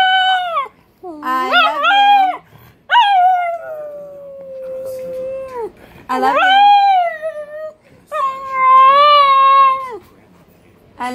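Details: Pug, Boston terrier and beagle mix howling its "I love you" phrases: several long, bending harmonic wails, one falling into a sustained low tone, others quavering, with brief gaps between.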